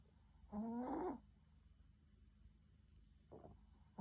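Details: Maltese dog snoring heavily while asleep, worn out after many walks; a loud, tonal, wheezy snore of about half a second rises slightly in pitch, a fainter breath follows near three seconds, then another snore begins, with quiet room hiss between.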